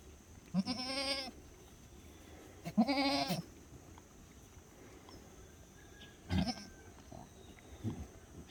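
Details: Black goats on a farm in Gimhae, South Korea, giving two long, wavering nasal bleats about two seconds apart, followed by shorter, fainter bleats, with a steady background hum.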